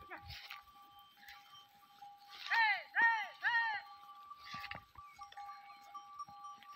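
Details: Goats on a farm in Tharparkar, Thar desert, kept alongside sheep: three loud, wavering bleats in quick succession near the middle, framed by human speech, a steady background tone and scattered knocks.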